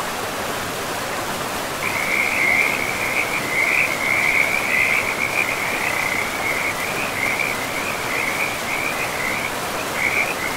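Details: Frogs calling beside a river in a pristine forest: a continuous, rapid trill of pulsed high notes that wavers in loudness and runs for most of the stretch, over a steady broad rush of flowing water.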